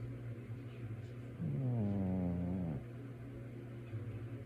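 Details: Dozing male pet cat giving a single low, nasal snore over a second long that wavers and slides slightly downward, set against a faint steady household hum.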